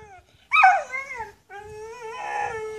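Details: Jamaican hill dogs barking at the person recording give a sharp, falling yelp, then a long, steady, howl-like whine with clear tones. Faint low thumps sound underneath.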